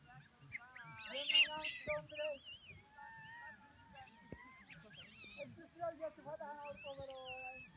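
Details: Gelada baboons at Chenec campsite in the Simien Mountains give scattered, drawn-out, tonal, whining calls that waver in pitch. Occasional higher squeals rise above them against a quiet background.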